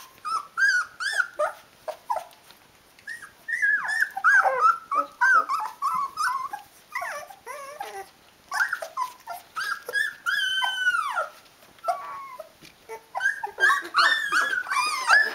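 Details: Sixteen-day-old Rhodesian Ridgeback puppies of a litter crying for their mum to feed them; dense overlapping whimpers, yelps and drawn-out wavering squeals from several pups, almost continuous with brief pauses.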